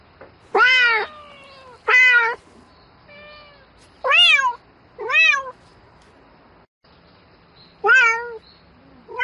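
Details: At night a domestic cat calls for a mate with a run of six clear meows, some rising and dropping in a curved arc, others flatter and fainter, spaced irregularly over nine seconds with a faint hum beneath.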